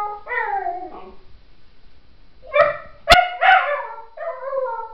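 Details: Puppy howling like a wolf indoors: drawn-out, falling, tonal wails in short bursts, one sliding down then others steadier, with brief silent pauses and a sharp click midway.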